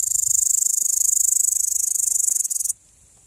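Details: Male upland green bush-cricket producing a continuous shrill, rasping buzz of quick pulses that falters briefly near the end and then cuts off abruptly into near silence.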